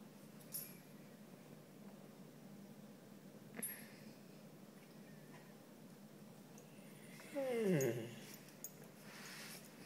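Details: Kingsley, an Italian Spinone dog, talks a little indoors: a single harmonic, moan-like utterance that dips and then rises, lasting about one second, amid quiet room hush with a few faint clicks.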